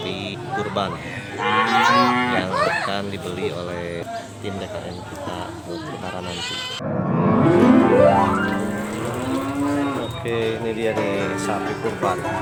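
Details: Large sacrificial cattle at a sale yard for Eid al-Adha 2019, their voices likened to a dinosaur: long, drawn-out harmonic lowing, one loud extended moo midway, over continuous chatter of people talking nearby.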